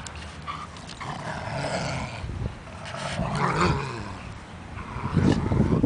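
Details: Two German Shepherds playing tug of war on a leash, growling low and rough in uneven bursts that swell toward the end, with a person's voice urging them on.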